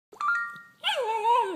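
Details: A pet dog named Livi 'talking' to a phone. A steady electronic tone comes first, then a short, wavering, whine-like howl with a rising and falling pitch that lasts under a second.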